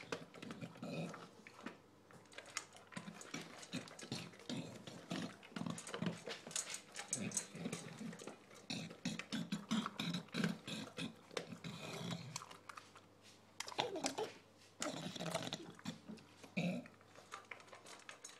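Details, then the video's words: Adopted English bulldog Shaft eats dinner with nothing quiet about it: a long run of rapid wet chewing, lip-smacking and raspy, wheezy snorts, the clatter of eating steady throughout, indoors. "Our English Bulldog enjoying dinner"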